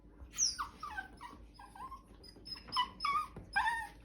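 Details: Bichon Frise puppy "talking" indoors: a series of about eight short high whines and yelps, each sliding downward, spaced irregularly over four seconds, in a quiet room between a person's questions.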